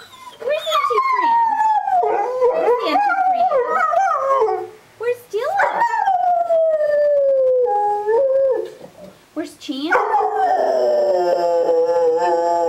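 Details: A pet dog belonging to neighbours "sings" in long, drawn-out, wavering howls that slide slowly downward. There are brief pauses between phrases, and the last phrase is a high, rising-then-falling wail. People are talking to it.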